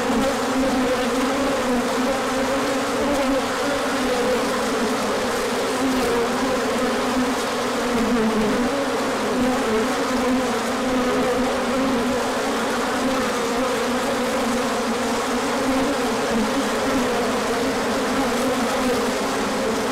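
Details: Large orientation flight of bees, 24 March 2024, as sunshine returns after a cold spell. A continuous droning buzz from many insects at once, with low and higher tones gently sliding up and down throughout.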